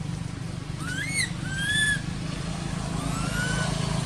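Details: Crying baby monkey living in an archaeological park, its mother not caring for it: a few thin rising whines, two close together then one softer, over a steady rumble of passing vehicles.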